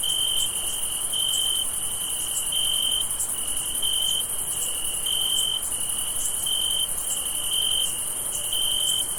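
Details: Crickets keep up a steady, high-pitched chirping on a summer night, each trilled pulse repeating roughly once a second over a continuous hiss of a dense insect chorus.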